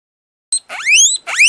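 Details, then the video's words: Two-month-old male satin guinea pig, described as very sociable, giving loud high rising whistles: a short blip, then a long upward-sweeping squeal of about half a second, followed by another rising whistle, with no other sounds. "Как свистит морская свинка"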